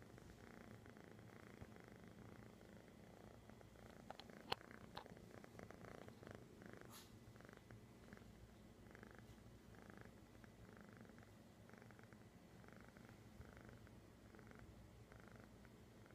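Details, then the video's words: Found kitty in Sun City, California, 11-09-2015, purring softly in steady rhythmic pulses under a low constant hum, with a few sharp clicks near the middle. "That time we found a kitty meow."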